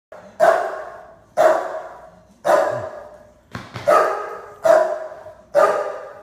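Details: Playful female Springer Spaniel feeling her oats, filmed in iPhone slow motion: six drawn-out, roaring barks, each a loud attack fading slowly, repeated about once a second.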